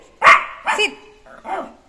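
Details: Jack Russell Terrier puppy Neo playing indoors after being let out of his cage; one loud bark followed by a softer throaty yap and a low grumbling growl, with human speech close by.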